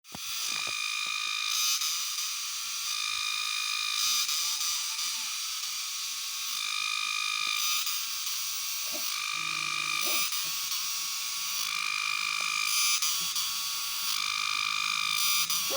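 A cicada produces an intense, high-pitched metallic buzz, steady and unbroken with rhythmic pulsing swells. The harsh, ringing drone dominates everything, with only faint background noise beneath it.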